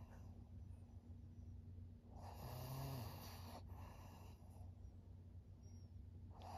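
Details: Thirteen-year-old fawn pug Maria, an elderly female in Japan, September 2023, gives one drawn-out rattling snore lasting about a second and a half, then a quieter breath, with a low steady hum underneath.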